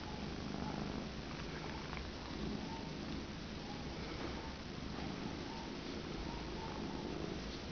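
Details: Fluff, a pet cat, keeps up a close, even purr after a headbutt while sitting on a lap, low rumbling pulses repeating without pause, indoors and quiet apart from the cat.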